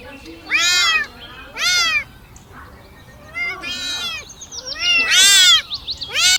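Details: Kittens crawling around and asking for their mother's milk; high, thin arched mews repeated in bursts, several overlapping calls, with quieter pauses between.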